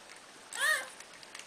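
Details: Eighteen-day-old Cardigan Welsh Corgi puppy of the Star Trek litter at Fromax Kennel, newly able to hear and responding to a human voice, gives one short, high, arching whine that rises then falls, amid quiet room sounds.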